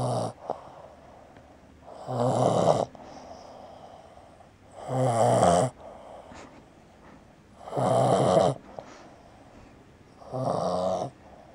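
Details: A male Boston Terrier, just home from the vet after injuring his paw and with nostrils and soft palate trimmed (he used to snore louder), snores in harsh, rattling rasps of about a second each, roughly every two and a half seconds, with quiet breathing between.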